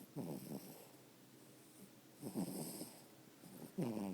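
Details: Max, a pet dog who is tired and asleep, snoring: three rough, rasping snores within about four seconds, each lasting around half a second, separated by quiet breathing pauses in a small room.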